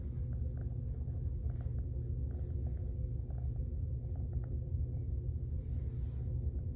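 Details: Honey Badger, a young female Domestic Shorthair cat in foster care awaiting adoption, purring; a continuous low rumbling purr fills the whole stretch, steady and even, with faint higher clicks above it.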